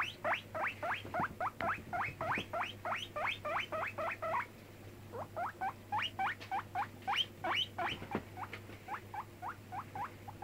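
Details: Five-month-old pet guinea pig named Cracker on a bed, squeaking away in quick runs of sharp upward-sweeping whistled squeaks, a brief lull near the middle before the repeated squeaks resume, with a constant low electrical hum beneath.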